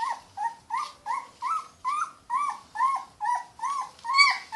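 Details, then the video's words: Close, loud crying from a Yorkshire Terrier puppy: about ten evenly spaced whines in under five seconds. Each one swoops upward and falls back, sounding plaintive and insistent. "Yorkie Puppy Crying Sound Effect"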